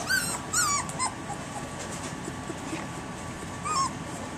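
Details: Three-week-old puppies, alert and starting to respond to people's voices, give short high-pitched whiny yelps: two brief calls early and one near the end, each bending downward at the tail, over a steady low room hum.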